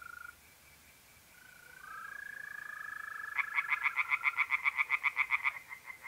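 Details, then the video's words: Pond at night in mid-April, north-east Italy. A smooth, continuous mole cricket trill fills the first seconds. Then tree frogs break in with a loud burst of quick, evenly spaced croaking pulses, roughly four each second. "relaxing singing tree frogs in pond and trilling mole crickets by night"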